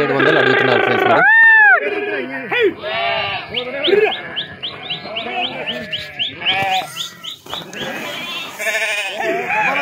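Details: Sheep that farmers are driving across a river, swimming; many overlapping wavering, harmonic bleats, some long and some short, with a run of quick, rising chirp-like notes midway and busy background noise.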